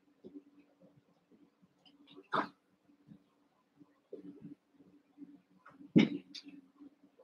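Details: Cavalier King Charles Spaniel puppies, eight young littermates wrestling and playing together in an indoor pen, give two sharp, brief yelping barks several seconds apart over soft shuffling and a steady low hum.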